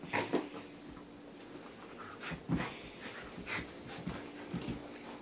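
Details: A 14-month-old English Cream Golden Retriever plays indoors with a toy elephant, humping it and tossing it into the air; irregular breathy pants and snuffles come in short bursts, with a faint whimper, over a steady low room hum.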